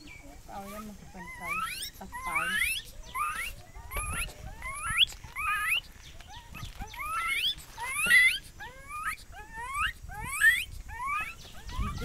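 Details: A young gibbon from Myanmar, caught by hunters in Burma and now held in Thailand, gives a fast series of loud whoops, each note sweeping sharply upward in pitch; gibbon.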